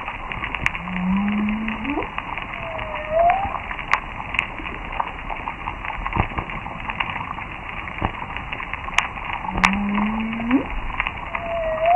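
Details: Humpback whales cruise by a noisy coral reef, their song units low upswept moans followed by a higher whoop, over a bedlam of snapping shrimp crackle and grunting fish.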